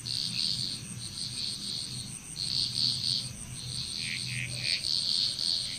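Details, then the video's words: Frog chorus in Bali, Indonesia: overlapping bright, rattling bursts calling over one another, with a steady high insect whine throughout and a low rumbling hum underneath. "Frog Chrous Relaxing Nature Sounds of Bali, Indonesia"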